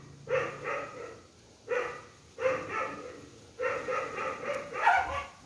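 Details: Dogs at a rescue, a pack that has just been fed, with a paralysed puppy kept in a cage: four short bursts of barking about a second apart, mid-pitched with bright overtones, the last burst more broken.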